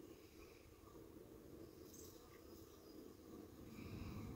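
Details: Dense honey bee hum at the hive entrance, 45 minutes after robbing, late afternoon around 5:15 pm; an even, thick drone grows louder near the end, with faint chirps overhead.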